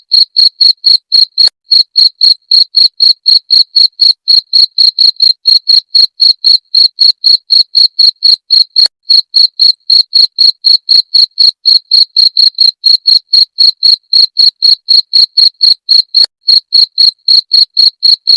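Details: Long, unbroken series of cricket chirps, high and piercing, pulsing steadily near four per second with a faint upper ring. Nothing else is audible. The recording is used as a rat deterrent.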